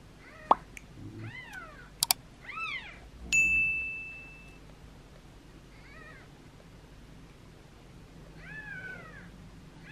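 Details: Two-day-old kittens, a litter of seven, during feeding and cleaning: scattered soft, arched meows between sharp clicks and a ringing ding, then quieter mews after a pause.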